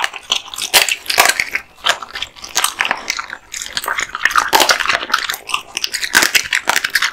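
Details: Kotetsu, a male American Bully (Pit Bull) born 8 August 2016, eats raw meat and bones: dense crunching and wet biting come in quick irregular bursts, with sharp cracks throughout and short quieter gaps between bites.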